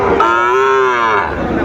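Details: Sahiwal bull calf at a cattle market in Sylhet, Bangladesh, in June: one long, steady, harmonic moo lasting over a second, with faint background voices.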